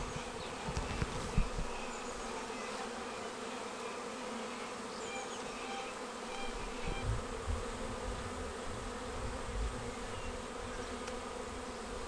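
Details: Honeybee swarm arriving at a bait hive swarm trap on 19 May and filing straight into the box: a dense, steady droning hum with layered buzzing bands, brief louder passes of individual bees, low rumbling thumps underneath.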